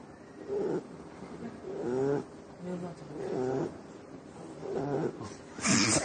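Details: Shar Pei dog falling asleep on a live television set, snoring in low, rhythmic, harmonic bursts about every one and a half seconds, with faint studio background between breaths.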